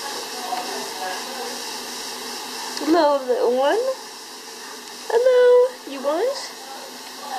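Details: Cavalier King Charles Spaniel puppies, five weeks old, let out a quick run of wavering yelps that dip and rise in pitch, several in a row about a second apart, against constant low hiss.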